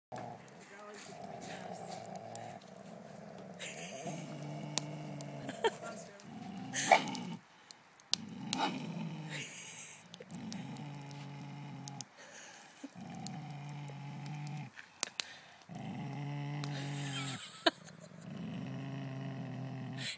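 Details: Golden Mountain Dog playing tug of war with another dog, neither giving up: low, rumbling growls in bursts of about a second, repeated roughly eight times, with a woman talking over and between them.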